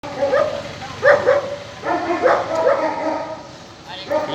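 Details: German Shepherd puppies, a male and a female, giving short high whines and yelps that rise and fall, several close together, with a person talking over them.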